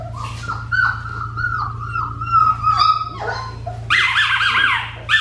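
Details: Four-week-old black tri female Australian Shepherd puppy, about 6 pounds, on a farm: high whining whimpers, wavering and descending, repeated through the clip, with brighter overlapping yelps near the end and a steady low hum behind.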